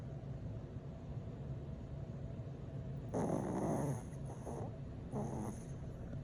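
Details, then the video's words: A sleeping dog snoring: three rough, breathy snorts at about 3, 4.3 and 5.3 seconds, each a short noisy burst, over a quiet, steady low hum. "snoring dog"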